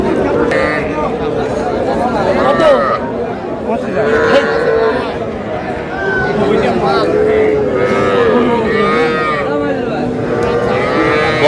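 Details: Young bulls and heifer calves at a Rangpur livestock market in Bangladesh, several moos, long and tonal, recurring through steady human talk and haggling over prices.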